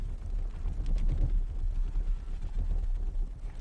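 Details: Low rumbling noise with wind-like buffeting and a vehicle or engine hum, no animal voice audible.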